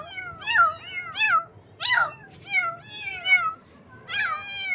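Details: Baby kittens on their first morning, meowing in a quick series of about six high, wavering meows, each rising then falling, spaced unevenly over a few seconds against a quiet background.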